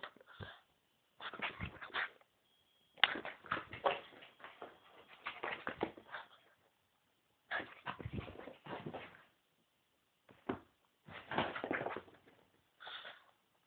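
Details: Pet dog named Alfie, excited and running round the living room after a walk, giving rapid whimpering yips and squeaky cries in bursts, with short pauses between the bursts.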